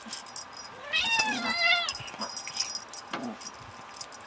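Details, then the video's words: Tuxedo cat meowing while playing: a drawn-out, bending meow, then a shorter trailing cry, mixed with metallic jangling and rattling from the play. "Tuxedo cat Becca meowing away during play"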